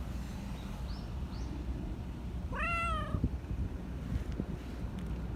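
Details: Black Persian cat, described as very vocal with a cartoon-like voice, gives a single rising, drawn-out meow lasting about half a second midway through, over a steady low rumble of outdoor background noise.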